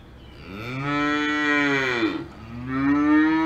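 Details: Cow mooing on a farm in the Alps, two drawn-out bellows in a row, the first long and arching, the second rising, both rich in stacked harmonics.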